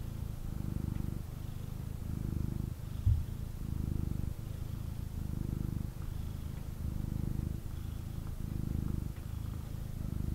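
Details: Domestic cat, a male kitten, purring intensely while held and cuddled indoors: steady low rumbling purr in rhythmic inhale-exhale pulses about every second, with a brief soft knock midway.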